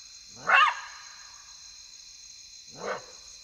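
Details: Side-striped jackal in Kafue National Park, Zambia, calling at night in the African bush: two short, harsh yelping barks about two seconds apart, the first louder, over a steady high insect drone.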